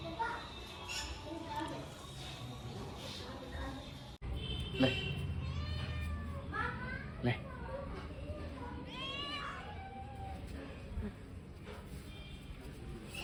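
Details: A cat gives several drawn-out, arching meows in the second half, rising then falling in pitch, one after another, over steady background chatter and voices, with an abrupt break in sound near the start.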